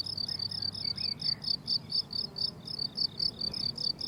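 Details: Meadow crickets in summer give a bright, pulsing chirp at high pitch, repeated steadily more than twice a second, with a few faint distant bird whistles and soft low background noise.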